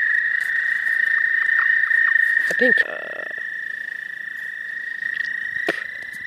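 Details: Suspected American toad in spring, in the southern half of the state. A long, steady, high musical trill runs unbroken through the whole recording, with brief other calls near the middle and end.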